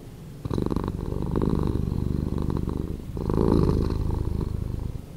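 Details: Slowed-down cat purr starting softly, then building into a strong low vibrating rumble, easing briefly near three seconds before a second louder swell that fades out at the close.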